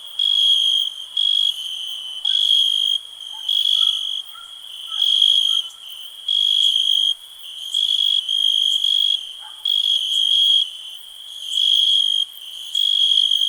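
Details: Cricket keeps up a bright, high trill with loud pulsed chirps arriving about once a second, and a few faint, lower notes are heard in the background.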